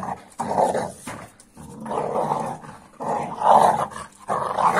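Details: Amstaff making strange reaction noises at a Kuvasz puppy of 15 weeks. Four loud, raspy growl-moans of about a second each are separated by short pauses.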